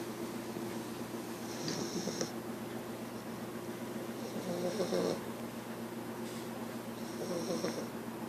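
An English Bulldog puppy snores in rough, rasping breaths, with a soft whistle on some breaths.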